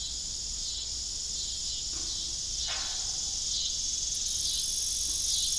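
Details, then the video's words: Evening crickets at an old farm with a disused windmill with rusty broken blades. Continuous high-pitched shimmering trills fill the clip, with a couple of brief knocking sounds and a slight swell in loudness toward the end. "Evening Cricket Sound"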